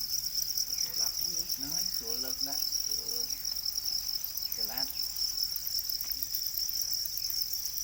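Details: Farmed black crickets, known as para crickets, make an unbroken, piercing high-pitched trill at steady pitch throughout. Brief snatches of Khmer speech sound in the background.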